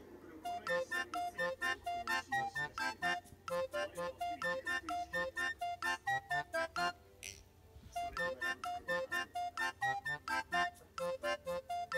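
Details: Bouncy, playful keyboard music repeats short staccato notes in a steady beat, pausing briefly midway, with no animal sounds.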